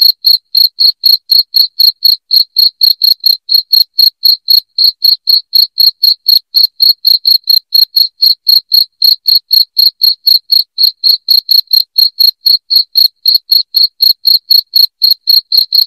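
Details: Continuous shrill chirping of a cricket, offered as a sound to scare off household rats, steady high pulses at roughly four per second throughout with no pauses or other sounds.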